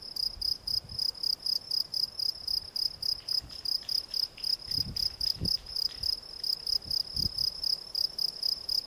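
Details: Gryllus campestris, the field cricket, giving loud high-pitched chirps at roughly four a second in an even, pulsing rhythm, with occasional soft low knocks beneath.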